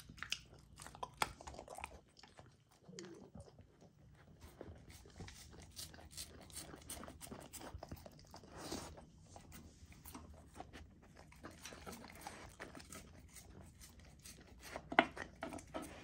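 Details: Young female Golden Retriever chewing frozen raw dog food indoors: sharp crunching bites and gnawing, scattered clicks and slurps, a quiet pause around two to four seconds, then steady crunching and a loud snap near the end.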